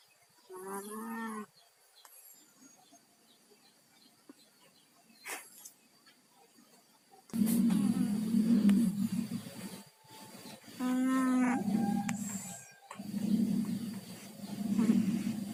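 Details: Tayen and Lilu, two pet cats with colds, snoring in their sleep: rough, nasal, droning snores in long bouts separated by short pauses, louder and more continuous in the second half, with a quiet start.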